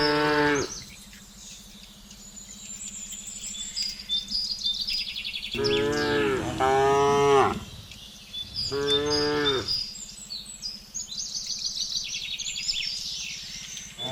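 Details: Village cows driven along a road toward their pen one afternoon, lowing to call the herd: three stretched moos, two close together in the middle, with twittering birds and a constant low drone in between.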